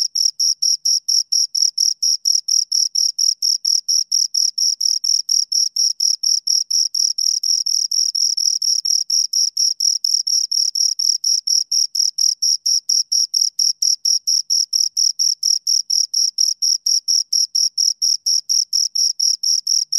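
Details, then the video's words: Steady high stridulation from two crickets, a continuous series of short shrill chirps near four per second, regular and uninterrupted, in quiet surroundings. "Two Crickets Chirp Sounds"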